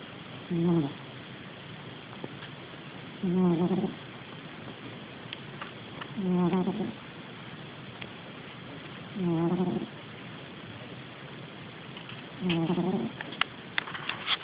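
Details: Sleeping cat snoring, recorded on an Android phone: a soft, low, raspy snore roughly every three seconds, five breaths in total, with faint background hiss and a few small clicks near the end.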